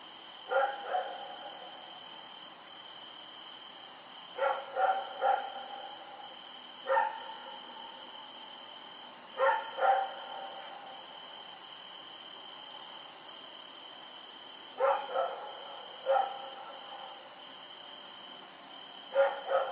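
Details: Night barking from Rex, a dog running around, recorded October 7, 2018: irregular bursts of two or three sharp barks, separated by pauses of one to five seconds, against a continuous high whine.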